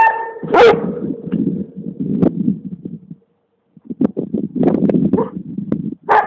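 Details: Alma, a Komondor dog, gives a loud harmonic bark early on, then rougher lower bursts, a brief silence, and more scattered gruff sounds, with a steady faint tone underneath.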